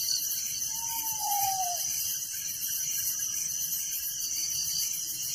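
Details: Crickets chirping at night in a village: a dense, shrill, steadily pulsing chorus runs without pause, joined once by a single soft whistled note that slides downward.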